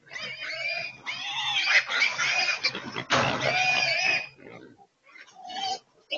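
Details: Feral hogs caught in a corral trap in Texas, loading into a transport; loud, sustained harmonic squealing in long stretches, several animals overlapping, then brief pauses and a final squeal.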